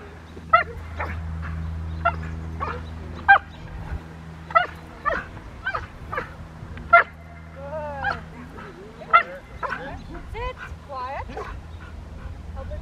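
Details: Poncho, a Rottweiler, during IGP1 protection training at Victoria Rottweiler Club on May 9, 2021: sharp, loud barks repeated at roughly half-second to one-second intervals, about a dozen in all, with a brief high whining around the middle and a low background hum.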